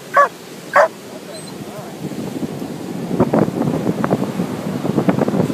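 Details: Lhasa Apso, happy on a sunny beach, gives two short, sharp barks in quick succession within the first second, followed by voices and steady outdoor background noise.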